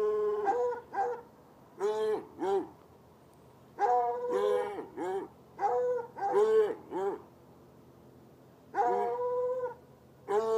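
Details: Two chained hounds, one white and one dark, barking outside on a Saturday night in a bushy lot near a red outbuilding by an irrigation ditch, about 10 yards away; drawn-out, harmonic, howling barks in clustered bursts separated by short pauses.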